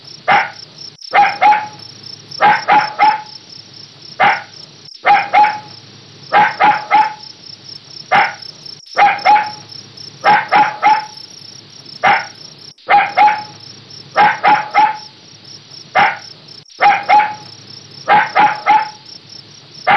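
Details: Long run of puppy barking: sharp, high yaps grouped in twos and threes, repeated steadily about every one to two seconds, roughly thirty barks, with constant pulsing cricket song behind.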